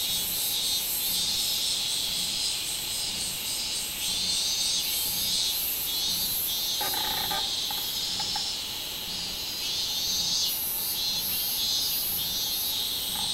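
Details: Minminzemi song recorded 24 July 2016, a continuous shrill high-pitched drone whose upper pulses throb in a loose rhythm, with a short lower-pitched burst of sound partway through.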